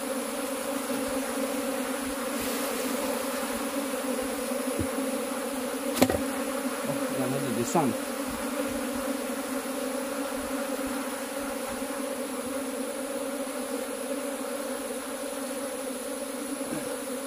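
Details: Unbroken droning buzz from cultivated honey bees. A sharp click near six seconds and a brief rustle around eight seconds break the otherwise constant hum.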